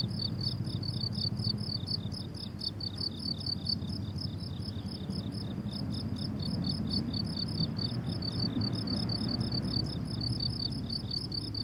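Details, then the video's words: On a blooming summer meadow, crickets keep up dense, rhythmic high chirping, pulses stacked in quick trains from more than one insect, backed by low rumbling ambient noise. "Relaxing Cricket Sounds on a Summer Meadow"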